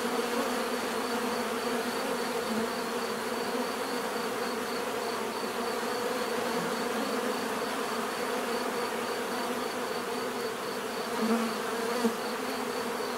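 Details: Steady humming of many bees, an evenly layered buzz with a few louder passes near the end as bees fly close by.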